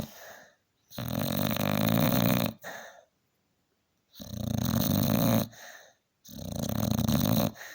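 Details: A tired male Staffordshire Bull Terrier, sleeping after a hard day, snores very loudly in long, rumbling breaths separated by brief pauses.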